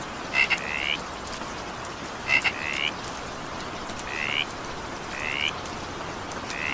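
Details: Evening rain with a frog calling: sharp double clicks followed by short, rising, nasal croaks, spaced roughly two seconds apart, with continuous rain hiss underneath.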